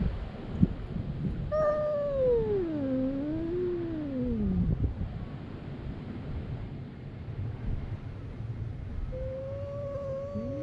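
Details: Cats in a fight at a fishing port, captured with a GoPro HERO8, give a wavering wail that dips, rises and sinks away over about three seconds, then a quiet stretch of ambient noise before another level yowl starts near the end.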